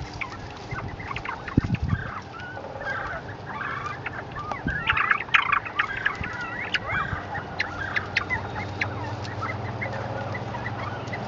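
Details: Captive group of northern bobwhite quail chattering as they are given chickweed: many short, soft chirps and clucks, some upslurred, overlapping in quick irregular bursts, with a few low thumps and a steady low hum underneath.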